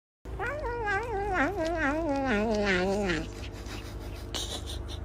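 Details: Cat giving a long, wavering, drawn-out yowl lasting about three seconds, the pitch wobbling up and down before sliding lower, over a steady low hum, with a brief noisy burst near the end.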